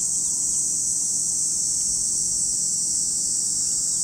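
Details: Cicadas at Lake Kamo in Sado City, Niigata Prefecture, Japan, producing a steady, unbroken high-pitched hissing drone that holds constant throughout, with no other clear sounds.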